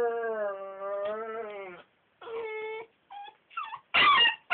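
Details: Belgian Malinois puppy objecting to sleeping in his crate: a long wavering tonal whine, a shorter whine, brief squeaks, then loud harsh yelping barks at the end.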